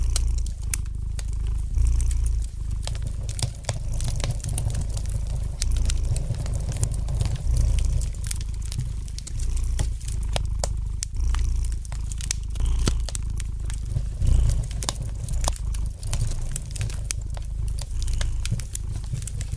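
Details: Low, even purring of a domestic cat beside a crackling fire, the rumble pulsing softly in repeated breath cycles over a long stretch, with dense snapping and ticking fire crackles throughout.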